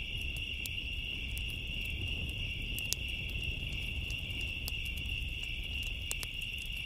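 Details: A nonstop shrill cricket chorus on a summer night, mixed with frequent sharp crackles and snaps from a bonfire and a soft low-pitched background hum.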